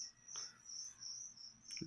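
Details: Crickets kept as live food for a leopard gecko give a thin, high trill in pulsed bursts. A brief click and a low rustle or voice-like noise break in near the end.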